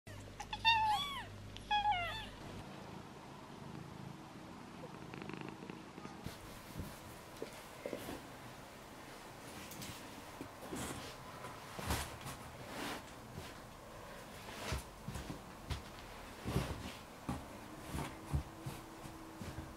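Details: Newborn kittens of Piper the cat, five in the litter, jostling for their mother's milk; a quick run of thin, high, arching mews in the first two seconds, then soft rustling and shuffling in the nest.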